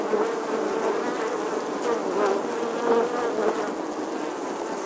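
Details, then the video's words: Bees busy at a nest inside the weathered stone wall of an old English church in August 2020; a continuous droning hum of many wings, slightly wavering in pitch, with no other sounds. "Bee Hive, Bees Captivating Footage from an Old English Church Wall. Bee Sounds"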